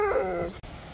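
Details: Husky Sherpa reacting to a surprise visitor with a short tonal whine lasting about half a second, fading into a soft murmur before a brief cut to quiet room noise.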